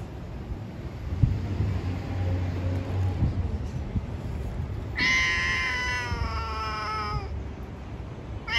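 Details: Street cat talking to other cats: after quiet low traffic rumble, one long drawn-out meow of about two seconds, steady then slightly falling, with another meow just starting at the very end.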